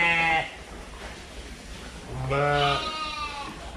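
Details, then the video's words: Fluffy sheep heard in two bleats: a short one at the start, then a longer, wavering, nasal bleat after a brief pause, with low steady background. "เสียงแกะ แกะขนฟูน่ารัก sheep"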